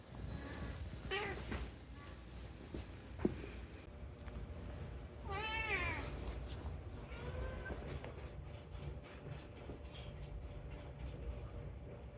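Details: Talkative rescued cat Unagi-kun calling indoors to plead for something; a short meow early, then a bright rising-falling meow near six seconds and softer chirping cries later, with a faint rhythmic ticking in the background.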